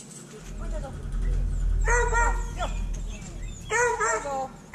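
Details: Pen-kept hounds returned one at a time to their kennels after cleaning, captured on a GoPro Hero 5 Black; two strong, drawn-out harmonic bays about two seconds apart over faint background murmur.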